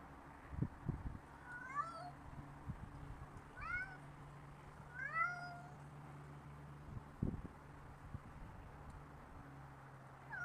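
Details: Pet cat outdoors in a backyard on December 16, 2010: three short rising meows spaced about two seconds apart, over steady low hum and occasional thumps.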